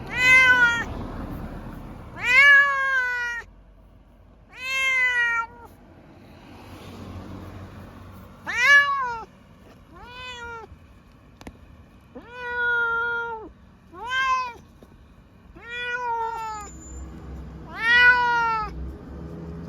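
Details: Munchkin cat, Pochakun or Chabo, en route to the vet for blood work, meowing insistently: about a dozen short, arched, harmonic meows in close succession over twenty seconds, some rising, some falling, in a quiet setting.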